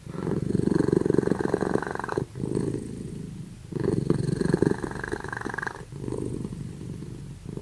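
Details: Simba and Prissy, two sleeping cats, snoring very loudly; a low, rattling, finely pulsed rumble swells with each breath in bursts of about two seconds, separated by short quieter pauses.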